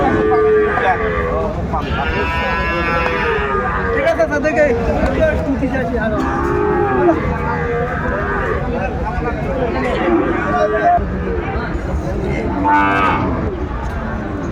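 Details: Sahiwal calves at a Dhaka livestock market in late December 2024. A dense chorus of overlapping moos, some short and some drawn out, is heard over constant market chatter.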